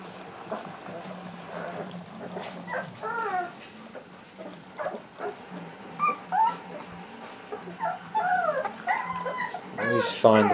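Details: Austria's Leonberger pups, three weeks old, whimper and squeal in a busy run of wavering, arched cries that rise and fall rapidly, growing louder and denser toward the end, with a faint constant hum beneath.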